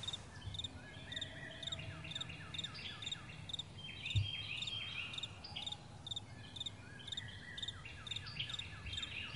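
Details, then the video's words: Morning crickets in a wide meadow give steady high chirps in regular pulses while several birds sing whistled, falling note series over them, with a low background rumble and one brief thump. "Morning Crickets"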